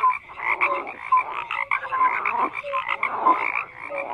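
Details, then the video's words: A short stretch of massed frog croaking: grating pulsed calls overlap densely, while short clear notes, some low and some higher, repeat every half second to second. "FROGS CROAKING"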